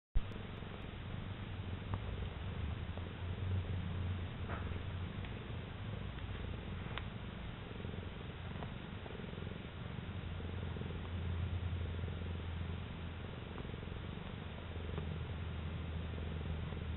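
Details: Domestic cat purring steadily while kneading and basking in the sun; a deep, continuous rumbling purr with a rhythmic pulse throughout, a few faint clicks in the background.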